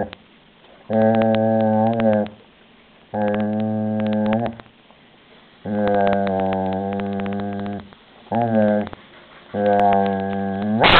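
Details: Shelby, a German Shepherd, growls while guarding her toy: five low, rumbling, buzzy growls, each lasting about one to one and a half seconds, separated by short quiet pauses, with a sharper burst at the very end.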